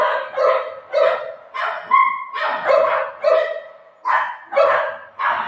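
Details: Pet Golden Retriever named Buzo barking in play with its mom: around nine full, resonant barks in a regular rhythm, one of them carrying a thin, high whine-like tone.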